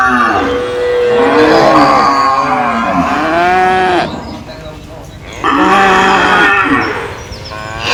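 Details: Cows in a cage answering each other: two long, loud, rough moos with wavering and falling pitch, separated by a quieter gap, with another animal's fainter call overlapping.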